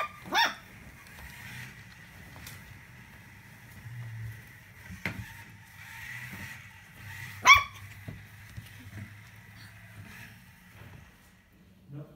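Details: Puppy from a litter followed from birth to ten weeks lets out two abrupt yelping barks, one at the start and one midway, over a constant high hum and low rumbling background.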